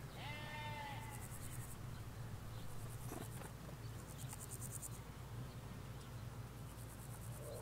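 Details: In a Hampshire field of ewes with their lambs, one short harmonic bleat opens the recording, captured near a hedge away from the road; afterwards only pulsing insect buzzes and a low, constant countryside hum remain.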